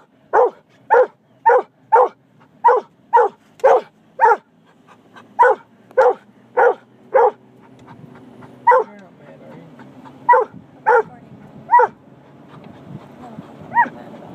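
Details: Treeing Walker Coonhound Caleb barks inside a moving vehicle, starting with a rapid, even series of sharp barks, then breaking into sparser, irregular single barks separated by gaps filled with road and engine rumble.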